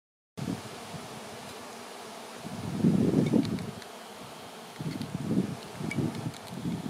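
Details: Swarming honey bees fill the air before clustering on a branch to await relocation to a new home; dense, low droning buzz that swells in loud waves near the middle and again toward the end.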